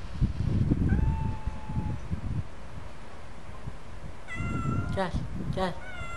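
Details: Turkish cat, a pet, with one faint thin meow early, then a pause, then a burst of several quick, stacked meows near the end, mixed with a person's voice and low rumbling background noise.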